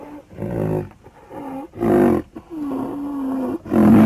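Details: Rhinoceros alternating loud, breathy puffs with thin, steady moaning tones that hold level for up to a second, about one sound every two seconds.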